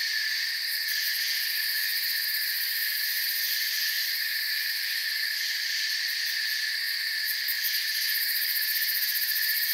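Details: Forest crickets sing in a thick, continuous high chorus; rapid pulsed trills flicker above the steady buzzing bands in short bursts, and the overall level stays constant.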